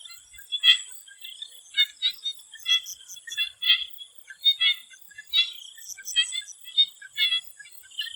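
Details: Swamp frogs in Thailand before sunset give high, pulsed calls that repeat in quick bursts over a steady insect hum.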